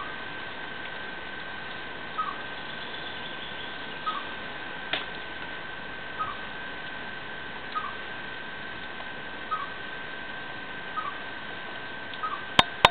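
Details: Chipmunk settled under a window, returning for a second year, calling a mate with its mating song: short, soft, slightly falling chirps repeated about every one to two seconds, roughly eight in all, over a steady rattling refrigerator hum indoors.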